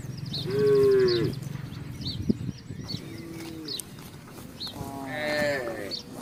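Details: Herd of village cattle passing through a housing estate looking for grass and water; three drawn-out moos, the middle one softer, with light bird chirps and low background rumble.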